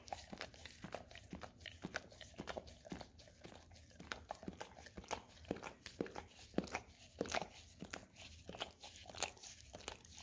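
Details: Golden Retriever kept as a pet, licking peanut butter off an Orapup tongue-cleaning brush; sharp, wet smacking clicks come in quick irregular bursts with scraping between them, inside a small room.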